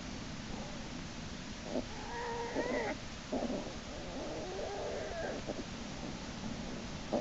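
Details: American black bear cub Jason, kicking and screaming as his sibling Hope pulls him back into Lily's den by his back leg, March 1, 2011; wavering, tonal wailing cries come in bursts between about two and five seconds, over a steady background hiss.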